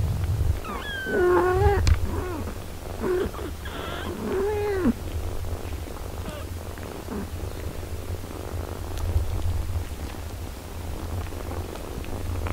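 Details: Eight-day-old kittens with their nursing mother cat, all healthy. Several arching mews sound in the first five seconds, one roughly every second, then fade to quiet while a low, steady purring rumble continues.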